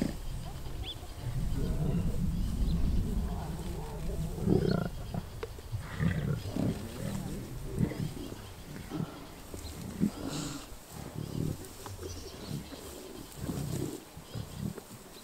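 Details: During a kill of a wildebeest near Kruger National Park, South Africa, lions give low, rasping growls and snarls in uneven bursts over a steady rumble, strongest in the first five seconds; people talk quietly on a safari vehicle.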